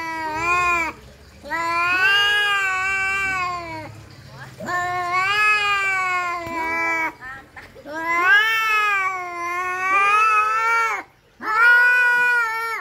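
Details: Fighting domestic cats trade long, moaning yowls that swell and bend in pitch, several sustained phrases of two or more seconds broken by short silences, voices sometimes overlapping.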